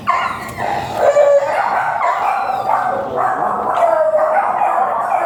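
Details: Golden Retriever brought for stud service in Binalonan, Pangasinan, producing a near-continuous, strained whine that rises and falls in pitch for about five seconds, with rustling noise behind.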